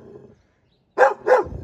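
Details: Dobermann at a large kennel giving two loud, sharp barks in quick succession about a third of a second apart, after a brief low murmur and a short silence.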